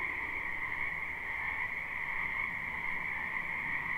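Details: Frogs in a spring wetland, recorded live, fill the air with a seamless high trilling chorus; many voices blend into a level, unbroken drone across the whole stretch.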